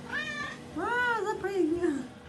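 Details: Maine Coon cat greeting its owner in the bathroom: a short meow, then a long drawn-out meow that rises and slowly falls, clear and harmonic, over a steady low hum in a small tiled room.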